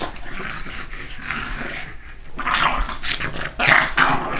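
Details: Two dogs play fighting in the morning, one lying on its back and biting; low growls give way to louder snarling bursts and a few short yips near the end.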